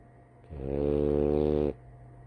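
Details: A female French Bulldog napping gives one long, low, rattling snore on an in-breath, with faint room hum around it.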